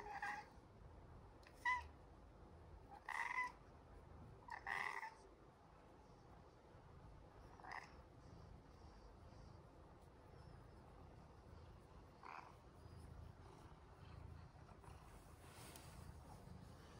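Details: Pet cat asking its human not to stop head rubs, giving short, chirping mews repeated every second or so early on, then falling quiet except for faint rustles against a constant low background hiss.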